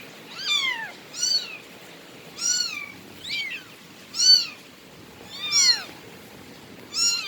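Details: Series of seven quick, thin, high meows from a Bengal cat, each arching down in pitch, coming about once a second at an uneven pace against a soft background hiss.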